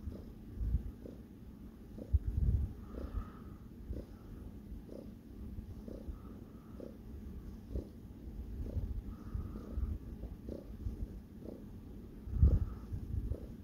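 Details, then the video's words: Sparkles, a pet cat, purring while kneading (making biscuits) indoors; a low, steady rumble with soft regular pulses about every two-thirds of a second, plus a few brief louder bumps. "Sparkles Purring and making Bisquits"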